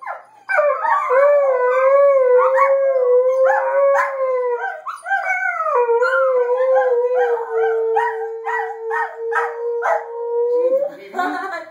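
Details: Group howl from an Alaskan Malamute, an adult Border Collie and a Border Collie puppy, recorded 15 March 2013. Several voices layer sustained wavering notes with choppy yips over a long steady low tone, ending in a short falling whine.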